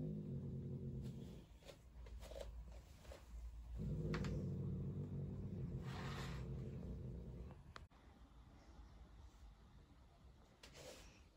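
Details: Turkish Van cat, female, growling angrily at her roommate: a low, droning growl broken by several short breathy hisses and spits, fading into quieter rustling after about eight seconds.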